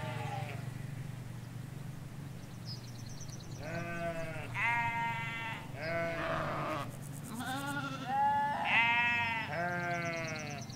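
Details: Hampshire field of ewes and their lambs: a run of overlapping bleats from several animals, wavering and harmonic, some high and thin, others deeper, calling back and forth over faint background rumble.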